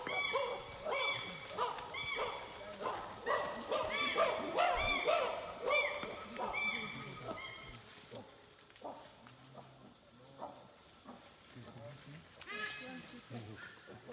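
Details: Wild chimpanzees in Uganda, tracked in the trees and on the ground, giving loud vocalizations: a run of strong, harmonic rising cries about every half second for eight seconds, then quieter scattered calls and a final loud burst.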